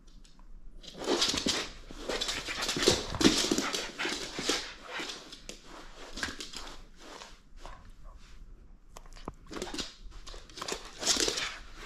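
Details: French Bulldog playing and refusing to hand over its toy, letting out a long run of rough, wheezy snorts and grunting huffs, loudest early on and returning in bursts near the end.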